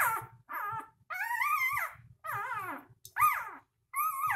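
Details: Three-day-old puppies squealing and whimpering indoors: high, wavering, harmonic cries that rise and fall, in bursts of about half a second to a second with short gaps between them.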